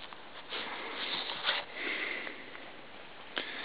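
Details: Giant Schnauzer named Si, wearing booties in the snow that he seems not to like, sniffing in quick, breathy, hissing bursts that come irregularly and fade in and out over a few seconds.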